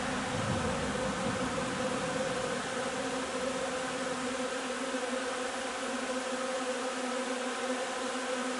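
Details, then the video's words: Honey bee hive during nectar foraging on linden, 3 June: a dense, steady droning hum from many bees, with a low fundamental and stacked harmonic bands, unbroken throughout, with a brief low rumble near the start. "alveare api durante la raccolta del nettare miele di tiglio 3 giugno"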